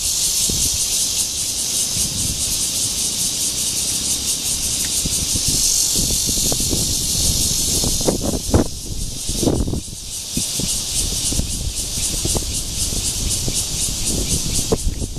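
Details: Courtship calling of Cryptotympana holsti, the red-veined cicada, in Guangming Park, Zhongli, recorded 28 June 2013. A continuous shrill buzz with faint rapid pulsing fills the whole stretch, with low knocks and rumble beneath, busier near the middle.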